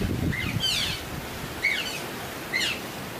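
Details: Otters at a zoo in mid-December, restless just before feeding, give three sharp, high chirps, each a quick downward squeal about a second apart, over a low rumble of background noise; Eurasian, Asian small-clawed and African clawless otters are present.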